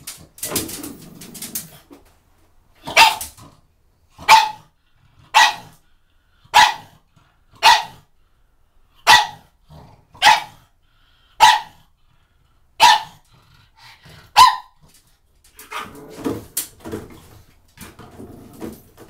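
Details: Pug attacking shampoo bottles, giving a run of short, punchy barks about one per second after a brief scuffle, then clattering and knocking sounds as the barking stops near the end.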